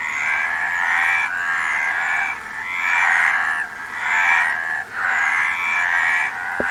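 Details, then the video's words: Frogs keep up a continuous raspy croaking chorus in rolling bursts lasting one to two seconds, separated by short dips, ending with a faint click. "Frog Sound"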